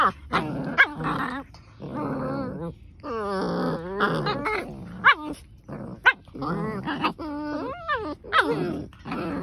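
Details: Two German Shepherds in a vicious fight, indoors: rough snarling growls and harsh, wavering yelping cries in rapid bursts, with short gaps between flurries and several sharp, loud peaks.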